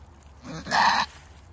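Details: Female goat in labor with her first kid screams once, a harsh, loud bleat lasting about a third of a second, rising then cutting off abruptly.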